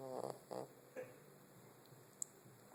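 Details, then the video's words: Snoring cat named Soap, giving three short raspy breaths in quick succession, each a brief harmonic buzz, followed by quiet breathing and a faint click. "Snoring Soap!"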